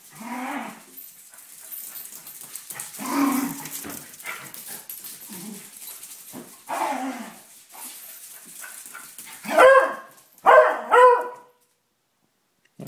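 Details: Two dogs wrestling playfully indoors: low rumbling growls and scuffles, then three loud, sharp barks close together near the end, with a person speaking nearby.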